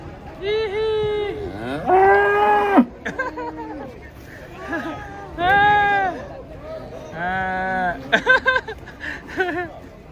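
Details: A cow lows repeatedly while cattle come down off a truck: five or six loud, rich moos, each about a second long and arched in pitch, separated by short pauses, with people talking nearby.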